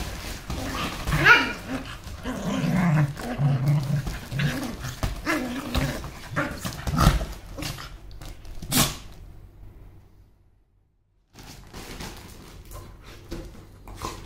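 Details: A mongrel and a toy poodle give rough growls and short barks in irregular bursts over the first nine seconds, with people talking nearby, then a brief silence followed by quiet background noise.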